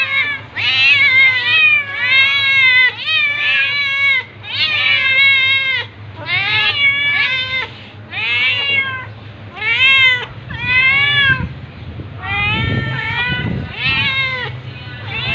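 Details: Tabby cat attacking a ginger cat, with loud, repeated meows, each an arched wavering wail about a second long, coming in quick bursts over fifteen seconds, with scuffling noise near the end.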